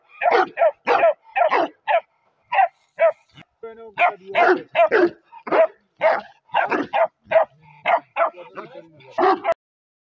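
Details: Bakarwal puppy yapping in quick, irregular bursts of short, high barks, some doubled, with brief pauses and a low grumble midway; a person's voice is briefly heard at the start.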